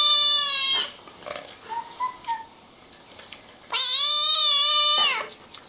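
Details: Kittens meowing: a long, strained, steady meow, a pause with faint soft chirps, then a second loud drawn-out meow falling at its end.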